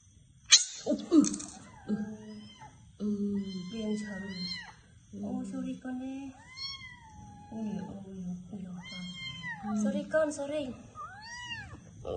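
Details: Cat meowing insistently indoors, a string of arched, wavering meows about once a second, some loud and strained, over low human talking and a steady electrical whine.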